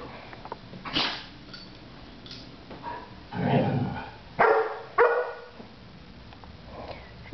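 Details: Golden Retriever indoors trying to get other dogs to play during their morning nap time; short rough barks and growly bursts in several spaced outbursts, with two sharp yips near the middle, over quiet room background.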